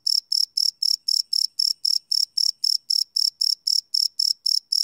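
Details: Cricket chirping at night, live field recording: clean, sharp high-pitched pulses repeating almost four times per second in an unbroken, even rhythm against a silent background.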